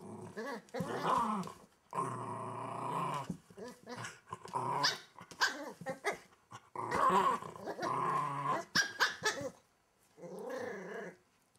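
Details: Welsh Terrier puppy tucked under a wardrobe indoors, growling hard with loud, rough, sustained snarls and yappy bursts, broken by brief gaps, ending in a softer grumble.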